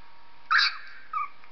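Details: Purdy, a pet dog, reacting to the sound of a 3-week-old puppy: one short, breathy, high whine sliding downward, followed by a fainter brief squeak.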